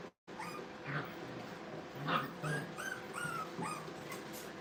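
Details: Playing Brittany puppies at a training kennel let out rapid, uneven strings of thin yips and squeaky whines, fairly quiet against a steady background hum.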